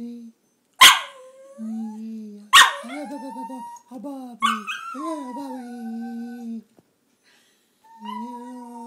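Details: Taco the dog "talking" to its owner, a run of yelps, warbling wavering whines and rising-falling moans, mixed with the owner's voice urging him to say what he wants.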